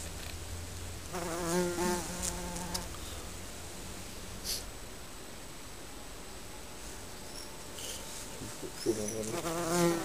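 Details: Honey bees flying near their colony beneath a garden shed: a buzzing pass early on, then several seconds of quiet background hiss, then another bee droning in close at the end.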